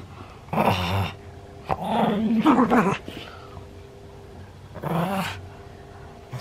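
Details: Senior pug in Japan, 31 October 2020, giving loud, rough, throaty vocalizations with a wavering, rising tone, one long burst followed by a shorter one after a pause, in a small indoor room.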